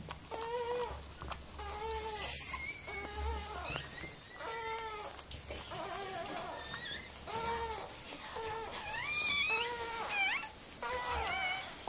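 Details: Whelping Miniature Pinscher, Mirella, as her puppies are born: a run of high, plaintive whining cries about once a second, each with clear overtones, some bending up and down, in a small quiet room.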